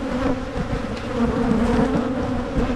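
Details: Michigan honeybees drone around an opened hive being split before swarming season, comb checked for queen cells; the buzz swells and dips slightly in pitch, a thick steady hum over soft handling sounds.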